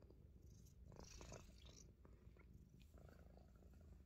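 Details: Deep, even purring from a Himalayan Persian cat nibbling on fingers, a dense low drone under brief scratchy bursts and light rustling of fur and hands.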